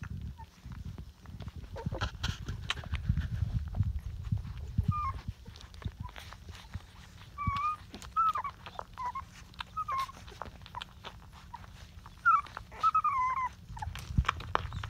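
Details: Twenty-day-old Rottweiler puppies from Georgia's litter give a string of thin, high squeaks and little wavering whines in the second half, over rustling, bumps and a low background hum.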